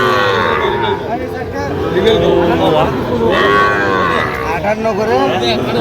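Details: Sahiwal bull calves at a busy Jamalpur, Bangladesh cattle market on 31 August 2025 while farmers are buying. Several overlapping moos rise and fall amid a constant roar of crowd noise.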